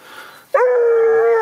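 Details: A hunting hound, either an Istrian or a Porcelaine, bays one long, steady, mournful note while working a hare's scent during training in Greece.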